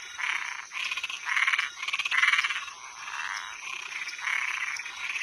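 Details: Toads and tree frogs calling at night: loud, raspy pulsed croaks in bursts of about half a second, sometimes overlapping, with a steady high insect-like hum behind them.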